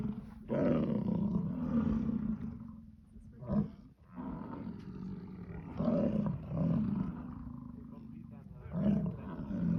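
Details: American bison (Bison bison) in Yellowstone gives deep, drawn-out, growling rutting bellows repeated every few seconds during the breeding season.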